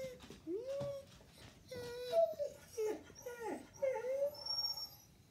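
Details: A Siberian Husky, reacting as he always does to a coyote on television, gives a string of short, tuneful whining howls that swoop up and down in pitch.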